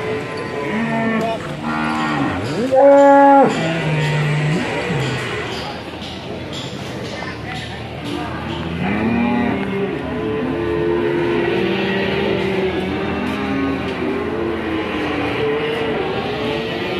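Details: Large cattle for sale at the Ambarketawang cattle market on a morning ahead of Eid al-Adha; a loud, harmonic moo rises and falls near the start, followed by further lower lowing calls over busy market chatter and background noise.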